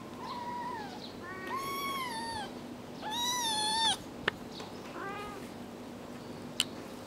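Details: Kittens aged four weeks give thin, high-pitched mews, each drawn out and slightly falling at the end, in a series of about five calls separated by short pauses, with a couple of sharp clicks in between.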